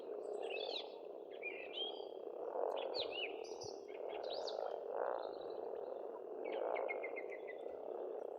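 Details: Many frogs croaking steadily at a pond in Estonia in spring, joined by lively birdsong of looping whistles and a quick repeated trill near the end.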